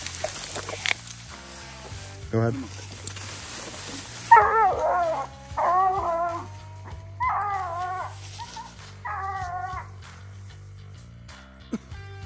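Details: Bluetick and Walker coonhounds treeing a raccoon on a night coon hunt: long, wavering, drawn-out bawling howls repeated about every one and a half seconds, over background music, with a man talking.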